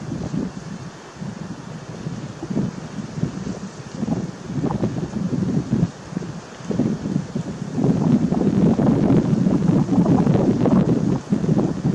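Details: Steady wind buffeting the microphone with rustling, and no clear animal calls.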